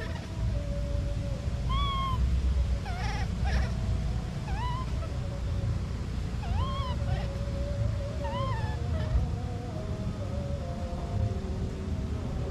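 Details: A baby monkey cries after separation from its mother: a series of about six brief arched, squeaky wails spaced one to two seconds apart, with a low continuous hum and wavering faint tone underneath.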